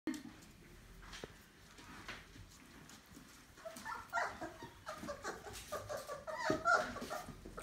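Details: Labrador Retriever puppies from one litter, 28 days old, bustling together indoors: short whimpering squeaks and yelps around one to two kilohertz grow busier in the second half over soft shuffling and faint rustling.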